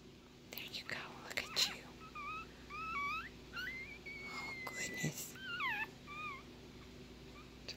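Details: Newborn female Yorkshire Terrier puppy, an exotic black girl from a litter of five, gives thin high squeaky cries that rise and fall in short bends, one drawn into a longer whine, while people whisper softly nearby.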